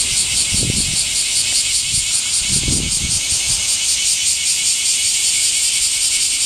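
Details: Cicadas singing in summer heat: a loud, shrill, steady buzzing drone high in pitch with a fast pulsing throb, continuing without pause, with a few brief low thumps near the start.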